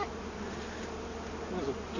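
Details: Brief, steady buzzing of honey bees as comb is cut out of a felled tree that held their hive; a uniform, dense drone with no clear breaks.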